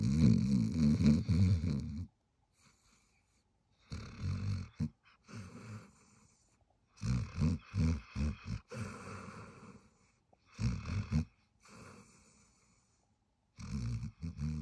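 A Weimaraner snores while asleep, each breath a low, rattling rumble. The snores come in uneven bursts, some stuttering into quick snorts, with silent gaps of a second or two between them.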